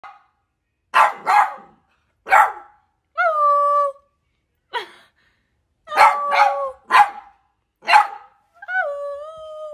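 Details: A female lemon Beagle puppy, recorded from 2 to 10 months old, barks loudly in short bursts, with a few drawn-out, sliding yelps mixed in.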